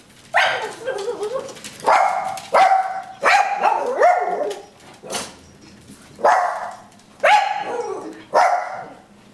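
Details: Excited puppy barking in greeting as its owner comes home from work on a Friday: about eight loud, sharp barks at uneven intervals, some drawn into yelping rise-and-fall tones, with brief quiet gaps between.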